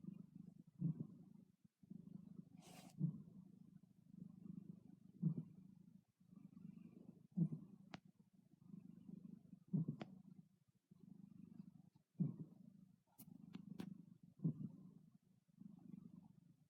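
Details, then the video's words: A cat snores while asleep, steady low rumbling breaths about every two seconds, each with a slightly louder onset, a few brief soft ticks in the background. "Snoring kitty"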